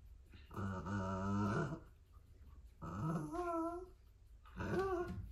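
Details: Corgi puppy caught biting a bike pedal gives three drawn-out, tonal growling whines. The first is long and level, the second wavers upward then falls, and the third is brief. The sound is close and indoors, with a short exclamation afterwards.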